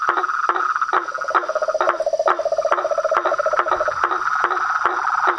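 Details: Toads, frogs and treefrogs calling together: sharp knocking notes spaced about half a second apart, with a fast, even trill rattling through the middle and a constant ringing tone underneath.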